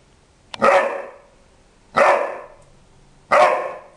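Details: Rhodesian Ridgeback puppy, four months and about two weeks old, barking: three sharp, loud barks about one and a half seconds apart, each with a quick bright onset fading over half a second, with a quiet background between them.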